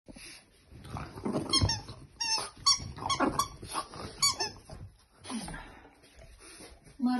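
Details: A French Bulldog puppy snorts and grunts in bursts while playing wildly with her toy elephant, which gives high, repeated squeaks.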